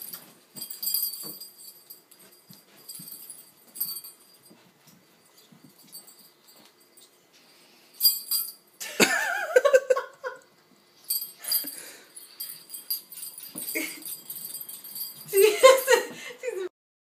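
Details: Pet ferret named Dahlia, angry after her favourite toy was stolen during play with another ferret, Ziggs; harsh, raspy bursts of barking in clusters after a quieter start, with faint jingling in the background.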